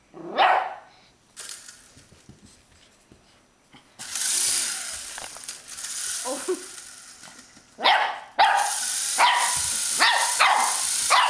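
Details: Shih Tzu puppy playing with an RC helicopter gives a sharp bark, then after a pause a run of quick yapping barks over the steady whirring hiss of the helicopter's rotor.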